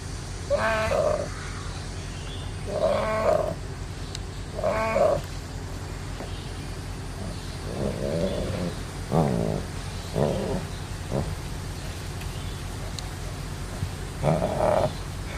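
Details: Tiger cub in an animal nursery, cared for after being left by its mother, gives about eight nasal, mewing calls, each a short harmonic wail, spaced a second or two apart over a steady low hum.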